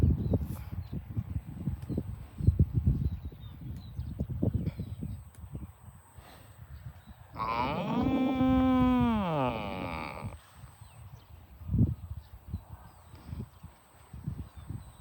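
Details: Farm cows being herded to the barn; one long moo of about two and a half seconds with a slight bend, then a falling, drawn-out tail, set among steady trampling hooves and faint distant voices.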